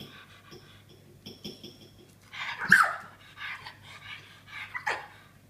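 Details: A female Australian Terrier, unable to bark because of a birth defect, squeaks instead, higher the harder she tries: two or three short, wavering squeals over a low steady hum and soft breathing.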